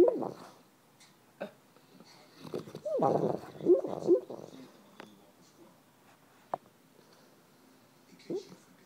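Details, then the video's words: Flora, a dogo puppy, making soft clucking, chicken-like noises while asleep, short muffled grunts and squeaks in a cluster around the middle, with a few sharp clicks and quiet room tone. "Flora the dogo sleep talks like a chicken"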